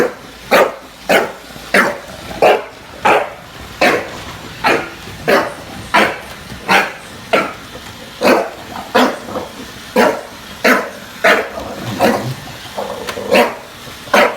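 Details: Indoor bulldog in NYC confronting a robot vacuum, giving sharp repeated barks about every three quarters of a second, around 20 in total, over a low steady machine hum.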